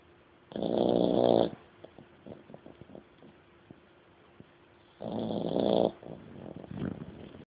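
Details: Dog asleep and snoring indoors: two long rasping snores about four and a half seconds apart, each lasting roughly a second, with soft clicking breaths between them.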